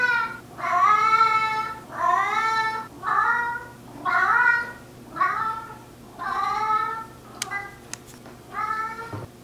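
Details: Talkative male house cat Narr, four years old and mixed breed, answers his owner with a steady series of long, harmonic, slightly falling meows, about one per second, with quiet gaps between calls in a small room.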